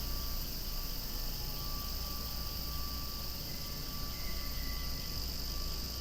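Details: A dense chorus of cicadas calling noisily near flowers moving in the breeze: steady, shimmering high drone without pause, a low rumble beneath, and a brief faint whistled tone near the end.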